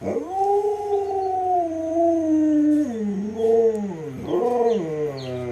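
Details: Pet Alaskan Malamute named Luoluo pleading for a piece of watermelon: a sustained, harmonically rich howl-moan that holds steady, sags, then breaks into two wobbling, swooping phrases.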